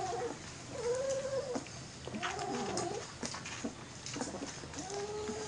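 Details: Three-week-old Airedale Terrier puppies from a litter of eleven, hand-fed goat milk since their second week, give thin, high whining squeals, several arched tonal cries rising and falling, over steady background hiss.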